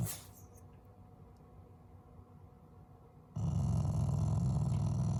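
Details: Pet Shiba Inu growling as affection toward its owners rather than anger: after three seconds of faint low rumbling, a loud, deep, continuous growl starts suddenly and holds steady to the end.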